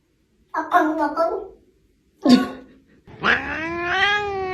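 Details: Cat making odd, funny vocalisations indoors: a wavering two-part yowl, a short sharp squawk, then a long drawn-out rising meow held for over a second.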